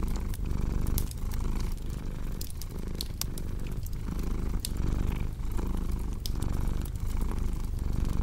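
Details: A cat's deep, continuous purr pulses in rhythmic inhale-exhale waves, with frequent snapping crackles from a burning fireplace layered on top.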